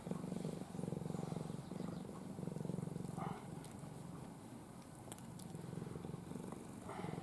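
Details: Cuddly house cat Ai, once part of a stray family, sleeping curled in her owner's arms; a continuous rhythmic purr of about three pulses per second, deep and steady, with faint rustles.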